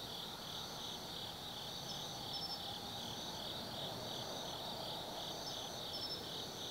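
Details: Forest insects singing on an autumn night at Tsukimi Forest, Gifu Prefecture, Japan: rapid pulsed trills around three per second layered over a steady shrill drone, sparse thin high notes, and a faint low background murmur.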